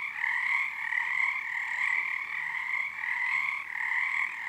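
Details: Frog chorus at Frog Korner on Harstine Island, Washington, February 2021, under the first full moon of the season as numbers build nightly: dense trilling bands, one mid-pitched and one higher, pulsing in gentle waves of volume without pause.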